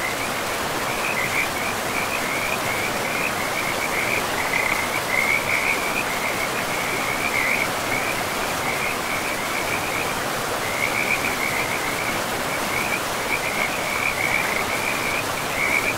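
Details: Frogs by a forest river call in long runs of quick, rattling high chirps that pause briefly around the tenth second, then resume, all laid over constant hissing river noise.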